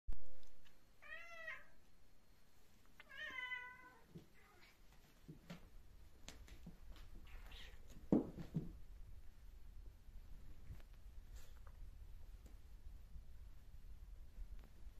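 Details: British Shorthair cat meowing just before attacking in a fight indoors: two short rising-falling harmonic meows in the first few seconds, then faint scuffling and thumps over a low background hum.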